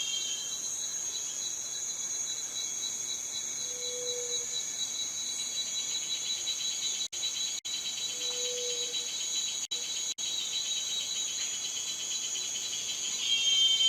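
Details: Cicada call, a sustained high metallic buzz with a fast pulsing texture, interrupted by a few short silent gaps and swelling louder at the end; brief low tones appear twice.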